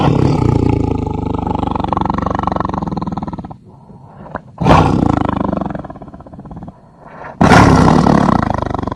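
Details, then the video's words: Tiger roaring in long, heavy, pulsing bouts, a loud rumbling roar broken by short pauses and two fresh surges of roaring. "صوت النمر"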